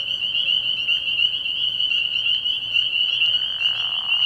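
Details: Spring peepers in full nocturnal chorus at a frog pond early in the year, a continuous piercing high whistle-like din made of many overlapping peeps, steady from start to finish.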